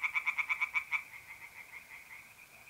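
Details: Tree frog calling on an April night by a pond in north-east Italy: about eight quick, loud pulses in one second, then a fainter, steady trill from mole crickets.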